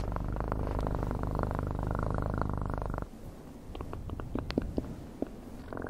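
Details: Purring domestic cat, recorded up close for ASMR: a continuous low throbbing rumble fills the first three seconds, then fades into quiet scattered clicks and light tapping before a faint return.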